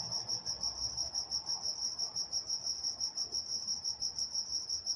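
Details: Steady night chorus of crickets in Walnut, California, a bright high trill throbbing roughly three times each second over a faint low background.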